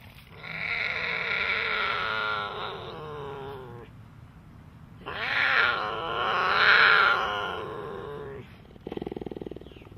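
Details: Big cat giving two long, drawn-out harmonic calls, each lasting about three seconds with a strained, moaning tone, separated by a pause, then a burst of short rapid grunting pulses at the end.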